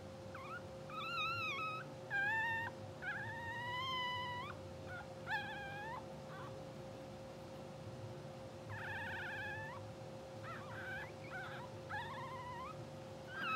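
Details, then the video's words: Newborn English Bulldog puppies, two hours old, from a blue sable litter, sleeping and twitching; a run of thin, high whimpers and squeals, some wavering, some rising then dipping, in bursts with short pauses, over a constant background hum. "Live Puppy Cam 2hr Old | Twitching Sleeping Dreaming Puppies | English Bulldog"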